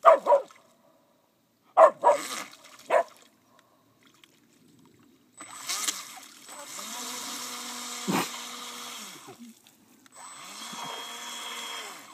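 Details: Pipa, a 3-year-old pet Whippet scared of a boat, gives sharp barks early, then drawn-out whining howls over a steady engine-like drone; people talk nearby.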